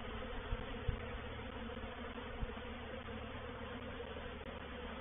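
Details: Honey bees of a reproductive swarm settling into a bait hive at Painted Peacock Manor, 04/07/21. A constant, dense hum of wings carries on, punctuated by a few soft low thumps near the start.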